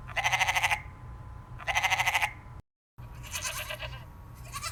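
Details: Goat bleats from a farm: two tremulous, pulsing cries about a second apart, then a brief break and a rougher, noisier bleat, with a low steady hum underneath.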